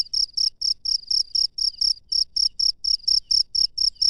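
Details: A cricket calling at night in the wild, its high, buzzy chirps coming in quick succession, around four each second, each a short ringing burst, with faint soft knocks in the background.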